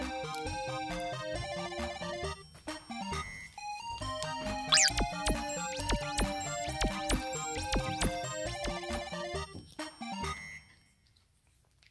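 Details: Bright, playful electronic music with quick melodic runs and sliding tones, fading to near silence at the end.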